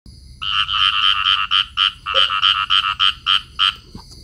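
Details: Pair of field frogs in amplexus, calling. A run of about a dozen short, rasping croaks, each with a bright nasal tone. They come at roughly three per second with slightly uneven spacing. Quiet background, with a faint low hum.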